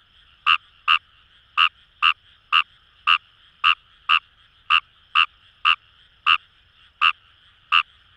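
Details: Kawamura's rice frog (Fejervarya kawamurai) calling in paddy fields along the Kamo River, Itoshima, Fukuoka, Japan: sharp, rasping croaks at irregular intervals, about fifteen in eight seconds, over a steady chorus of distant frogs.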